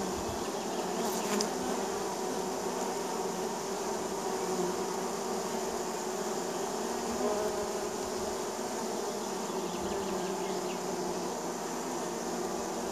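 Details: Honey bees of a neighbor's hive buzzing as they land at the hive in spring; a dense, steady droning hum with many overlapping wingbeat tones, continuous throughout with no pauses.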